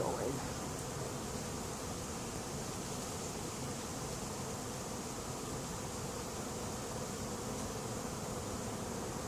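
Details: Swarming honey bees occupying an empty, unprepared hive late in the season: an even, wide-ranging hiss-like buzz without pause, steady in loudness from start to finish.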